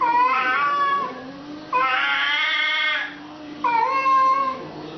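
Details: Domestic cat in a fight, giving long drawn-out wailing yowls with rich harmonics, three howls rising and wavering over about five seconds, one fuller and harsher in the middle, indoors.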